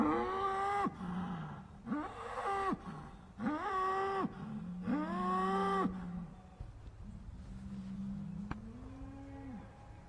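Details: Sad, upset cows mooing: four drawn-out, harmonic moos about a second each, rising then holding steady, followed by two lower, quieter moos that trail off.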